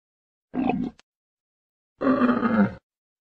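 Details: Two short, rough grunts from a camel, the first brief and gravelly, the second a longer growling rumble about a second later.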